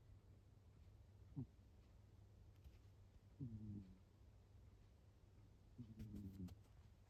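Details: Soft snoring from Fuku, a rescued cat: three brief, quavering, nasal bursts spaced a couple of seconds apart, heard through a quiet, steady low-pitched background drone.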